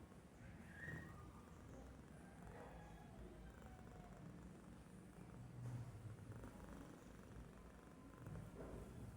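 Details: A domestic cat asleep and idle, snoring in a soft, low, rhythmic rumble that rises and falls with each breath, with a faint higher squeak near the start.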